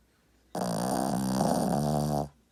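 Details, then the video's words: Loud dog snore heard as a single sustained, humming, nasal drone lasting under two seconds. It cuts in and out sharply, and there is near silence before and after it. "강아지가 이렇게 크게 코고는거 본분 계신가요 ..?"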